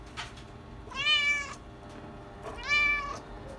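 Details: Male chinchilla silver Persian kitten, born 31 July 2020, giving two bright, drawn-out harmonic meows about a second and a half apart in a quiet room.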